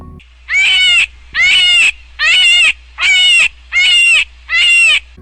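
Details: A cottontail rabbit gives a distress or alarm call: six harsh, high, wailing screams, each about half a second long and coming almost once a second, much like a human cry.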